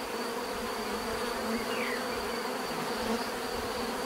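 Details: Dense, unbroken buzzing from bees: a layered humming drone with a persistent high whine and a short sliding chirp near the middle.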